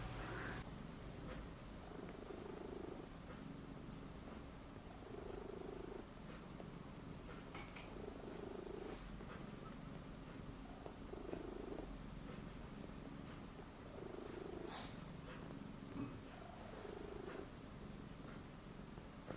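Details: Domestic cat living in a study room, purring: a continuous low, throbbing rumble that pulses rapidly and evenly, interrupted by short brighter clicks and knocks now and then.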